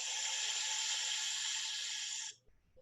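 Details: Snake hissing as an example of a quiet animal sound; a steady, breathy, high hiss lasting over two seconds, then cutting off abruptly.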